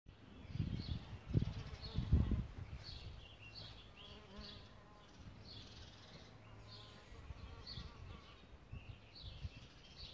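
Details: Solitary bees nesting in a bug hotel: low droning buzzes swell and fade as bees fly close in the first seconds, then a softer hum, with bright bird chirps repeating throughout in the background.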